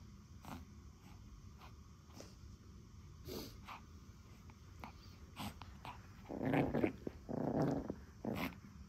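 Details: Pekingese puppy growling while fighting over a beloved monkey doll indoors; short quiet snorts and rustles, then two louder rough growling bursts near the end.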